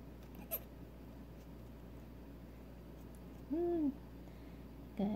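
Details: Newborn female Nigerian Dwarf goat kid, just over six hours old, being syringe fed colostrum because she cannot yet feed on her own or walk; one short tonal bleat mid-clip, another starting at the end, otherwise quiet.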